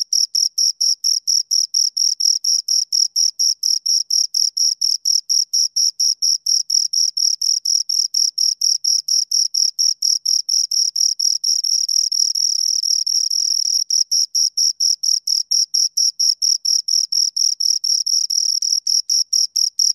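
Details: A pair of crickets, heard at close range, keeps up rapid, even, high-pitched chirps about four per second. Midway the two chirps overlap into a brief unbroken trill before the steady pulsing resumes.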